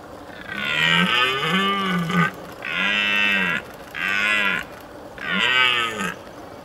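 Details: A red deer stag roaring in the mist during the rut, warning off rival males, gives four loud, drawn-out roars, each arching up and falling away.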